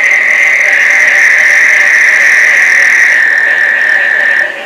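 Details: Frogs in a breeding chorus during the summer rains at Placencia, Belize, some sounding like rubber squeaky toys; a dense, unbroken wall of trilling calls holds a steady high pitch throughout, with fainter higher overtones above.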